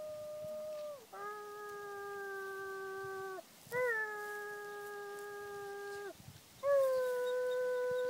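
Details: [1, 'yes', 'howl', 'Renki the dog howling in three drawn-out, clear tonal howls, each held steady and then dropping in pitch at the end, with short gaps between them and a quiet background.']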